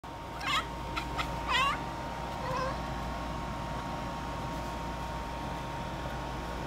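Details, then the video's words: A pet cat chattering while watching a bug on the ceiling indoors: two or three short, rapid clicking bursts with a high harmonic sweep early on, then quiet room hum. "Chatterin Mo"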